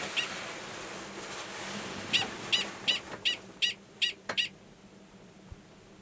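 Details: Wild male Gunnison's prairie dog in Valles Caldera National Preserve, New Mexico, March 2017, calling for a nearby estrous female in her burrow; a lone high chirp, then a rapid run of about six sharp barks over steady background hiss.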